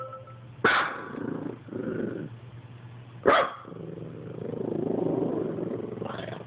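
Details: Dog barking at an Xbox: two abrupt, loud barks about two and a half seconds apart, with softer rumbling sounds between and after them, over a constant low hum.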